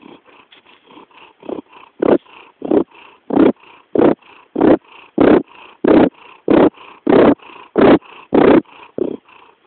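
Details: Cat named Jackson purring with a strong, even rhythm, loud rasping pulses alternating with softer ones, roughly a hundred per minute, growing louder after the first two seconds.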